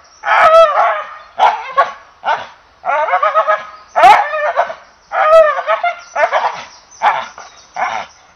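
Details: English Bull Terrier barking in a rapid, excited run of short harmonic barks and yips, some doubled, continuing almost without pause over several seconds.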